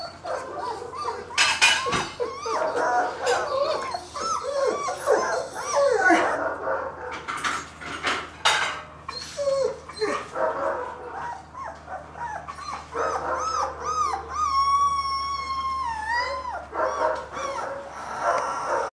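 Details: Two-week-old German Shepherd puppy whining and squealing, with thin high whimpers and one long sustained whine near the end, amid rustling, handling clatter and a steady low hum.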